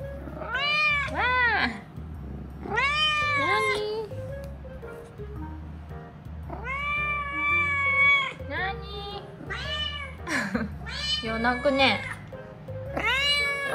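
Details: Domestic cat named Chiro, the youngest of her sister cats, chatting indoors: a run of loud arching meows with rich harmonics, some drawn out and wavering, others short and rising, over soft background music and a woman's voice.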